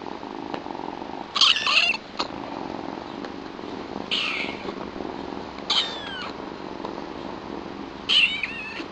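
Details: Four shrill kitten mews, roughly every one and a half seconds, each short and bending in pitch, from new pet kittens Chilli, a small, loud young queen with white markings, and Pepper, her all-black brother; quiet household background.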